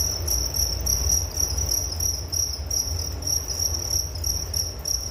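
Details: Crickets chirping in a steady natural chorus, high bright pulses repeating rapidly, about three per second, over a constant low rumble of background noise.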